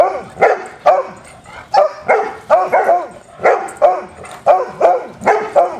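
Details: Hounds playing together, letting out a rapid series of sharp, ringing barks roughly every half second, several voices overlapping in a lively, continuous chorus.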